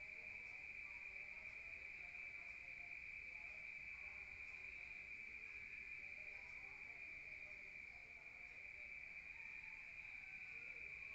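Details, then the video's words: Crickets at night in a rural setting, heard from inside a room: a steady, unbroken high trill holds throughout, with faint lower wavering tones drifting in the background. "Rural Nature Sound of crickets at night heard from outside"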